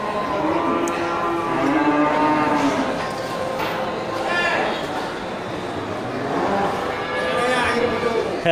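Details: Local bulls packed into the Geulumpang Payong livestock market, 8 May 2021. Low, sliding moos open the scene and return later over a constant murmur of voices and market noise.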